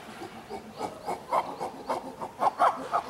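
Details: Chimpanzee family group of nine at Tama Zoo, Japan, in May 2019, in captivity: quick series of panting hoots, roughly three to four per second, swelling and climbing in pitch toward loud peaks, with faint background murmur.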